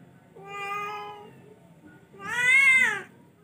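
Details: Charcoal-coated cat, an F1, giving two clear harmonic meows, the first level and drawn out, the second louder and rising then falling, over quiet indoor background.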